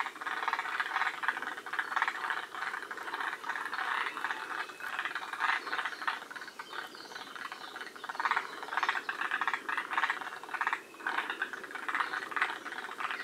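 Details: Forest green tree frogs, a group at Shiriya, Aomori, Japan, one of the northernmost populations: a dense, continuous chorus of rattling, pulsed croaks overlapping steadily for the whole stretch, with no other clear sounds.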